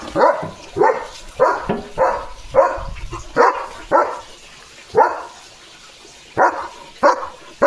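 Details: German Shepherd dog in a home yard, early morning, barking loudly and running after seeing another dog pass by the gate: about eleven sharp, mid-pitched barks in uneven bursts, some doubled, over light background noise.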